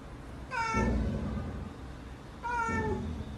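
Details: Domestic cat giving two clear meows about two seconds apart, each a harmonic-rich call that starts high and slides downward, with a low background hum throughout.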